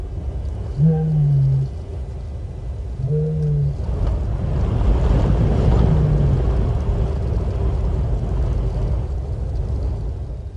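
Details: Lioness at Nkorho, recorded by live camera on 30 September 2021, moaning in search of contact with other lions. Three low, even, droning moans come about two seconds apart above constant low-pitched rumbling.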